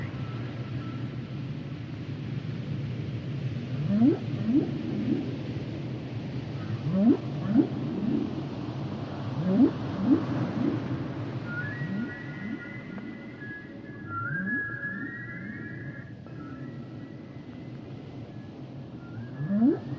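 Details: Humpback whale singing. A series of swooping upward moans climbs sharply and repeats every few seconds over a low drone. Long, high, wavering whistled notes follow, one sliding upward, before a final rising moan.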